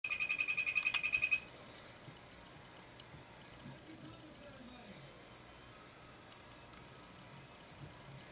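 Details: Mantella ebenaui, a group of adults and froglets feeding: short, high, clicking chirps repeated steadily about twice per second, with a brief steady high tone and faint rapid ticking in the first second.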